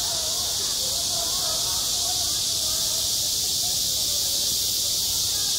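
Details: At a schoolyard on a hot summer day, cicadas keep up a constant high, hissing buzz, unvarying in level, with muffled low background murmur.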